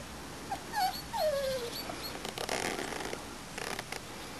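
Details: Young Springer Spaniel puppies, four and a half weeks old, on their first outing: one thin, drawn-out descending whine, then faint rustling.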